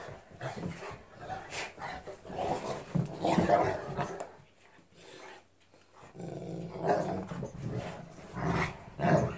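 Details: Two Newfoundland dogs play fighting, giving rough, rumbling growls in pulsing bursts that swell and fade, with a brief quieter lull midway before the snarling picks up again.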